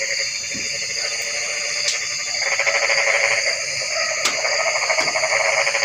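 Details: After a quieter opening, a loud stretch of fast, rattling frog pulses begins midway and continues to the end, backed by a persistent high whine and a few sharp clicks.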